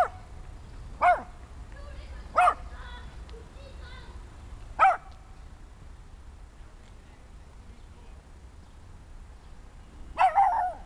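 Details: Small German Spitz (Kleinspitz), six months old, giving single high-pitched yappy barks at irregular intervals of one to several seconds, with quiet pauses and a faint background murmur between them.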